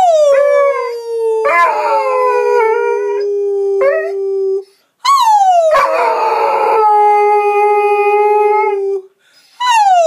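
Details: A 5-month-old Rhodesian Ridgeback puppy "sings", howling in long, sliding notes that drop, then hold steady.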